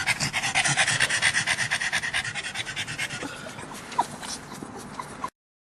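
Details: Pug panting quickly at a dog park, strong regular breathy bursts that fade in loudness, with a few clicks before the sound cuts off.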